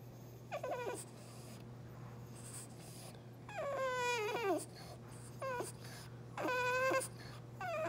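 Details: French Bulldog named Prince whining at home because he was given none of the food just eaten; drawn-out harmonic whines that bend up then slide down, four bursts over eight seconds, a steady low hum beneath.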